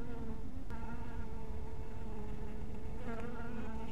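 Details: Honey bees at a small hive in dusk light, scattered around it: continuous low buzzing with layered overtones, one sharp click early on and brief brighter passes near the end.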